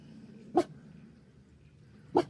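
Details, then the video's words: Smudge, a dog, barks at something down the creek in mountain country, maybe a wallaby or deer; two short, distant barks about one and a half seconds apart over a low background hum. "Old Smudge is barking at something down the creek there."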